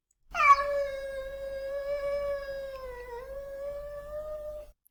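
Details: Domestic cat howl, a subtype that is longer with slower articulation and signals discomfort and worry, used in territorial situations; one steady, drawn-out tonal wail of about four seconds with a slight dip in pitch near the end.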